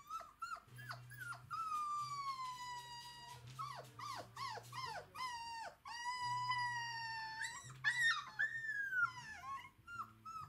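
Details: Galgo Español puppies from a kennel litter at day 22, recorded 16 September 2017: many high, thin whines and squeals overlap, some long drawn-out tones and quick falling yelps, with a low steady hum underneath.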